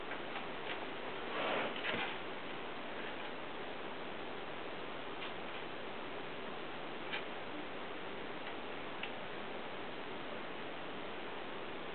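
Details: Steady broadband hiss fills the room, broken by scattered faint ticking clicks and a brief rustle near the start, with no animal voice standing out.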